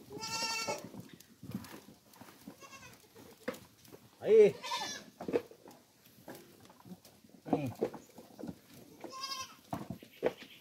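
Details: Goats on a farm being given coconut pulp bleat in three short cries spread across the recording, with frequent speech and shuffling in between.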